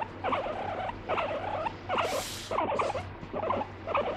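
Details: Pet guinea pig that bites and scolds when its owner stops petting; short burbling chutter bursts about every half second, with one brief hissing noise midway and a constant low hum.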